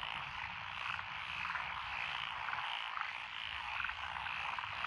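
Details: Rural lotus paddies in Echizen, Fukui, on 12 June 2021 ring with a thick chorus of tree frogs, pond frogs and other frogs. Pulsed croaks repeat quickly and blend into an unbroken chorus.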